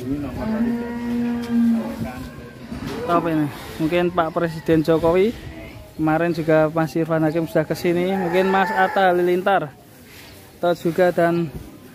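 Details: Very large fattened cow being readied as a Qurban sacrificial animal: a steady, low, droning moo holds for about two seconds, followed by shorter broken lowing bursts with shifting pitch, some overlapping possible voices.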